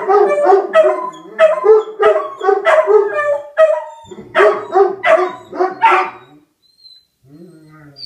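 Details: Howling from Rufus the Beagle and Axle the German Shepherd reacting to a tornado siren, rapid repeated bays roughly three per second that stop abruptly, followed by a quieter fading whine near the end.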